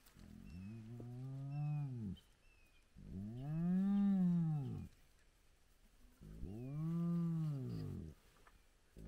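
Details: Spotted hyenas of a big clan at a den site with cubs, early morning: three deep, rich moaning calls that arch up and fall away, roughly two to three seconds apart, with faint high whistles in the background.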